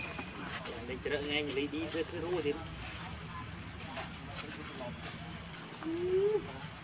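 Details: Baby monkey calling its mother for milk: a run of wavering tonal coos, then a short pause and a single louder rising whine near the end, over a steady outdoor background hiss.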